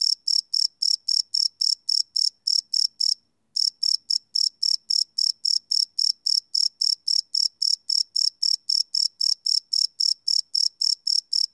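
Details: Night chorus of crickets captured live with a Sony PCM D100 recorder; high, clipped chirps pulse rapidly and evenly, with one brief pause near the three-second mark before the rhythm resumes.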